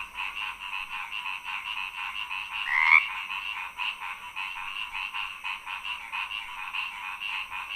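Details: Frogs croaking: a dense, continuous chorus of rapid, pulsing croaks with a steady high trill layered throughout.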